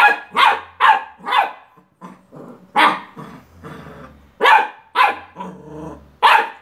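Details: Barking Beagle puppy confronting a toy car: bursts of fast, high yaps, about nine loud barks with quieter grumbling and whines between the groups.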